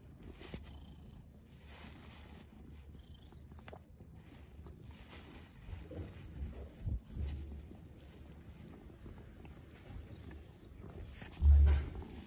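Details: Domestic pet cat purring indoors, one of two cats in a home with hamsters: a soft, steady low rumble running throughout, with light handling rustles and a louder thump near the end.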